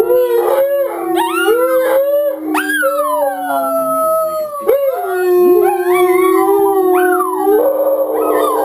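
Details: Pair of domestic dogs joining televised wolves in a chorus howl to bond as a pack; several voices overlap, with long sliding howls that climb, waver and fall, one holding a steady lower tone beneath.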